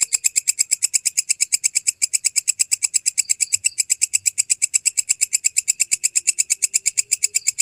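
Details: Walang kecek grasshopper chirping for lovebird training: a continuous, metronome-like series of sharp, scratchy pulses, close to six each second, bright and high-pitched throughout with no breaks.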